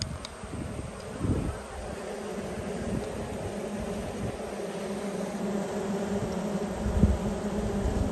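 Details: Honey bees during a beekeeping inspection of the Yellow and Black hives, 19 March 2022: a dense, steady low hum of many wings fills the clip, with a few soft knocks and brief louder swells.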